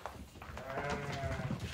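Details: Pregnant ewes heard in a livestock pen: a long, wavering nasal bleat lasting nearly a second, set against heavy low-frequency rumble and scattered thumps.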